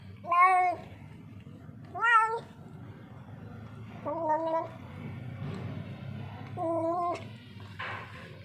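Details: Lonely stray street cat in distress, hungry and thirsty, repeats four loud, rich-toned meows, the first two sharper and rising, the later ones flatter and sustained, about every one and a half to three seconds, with faint low background hum.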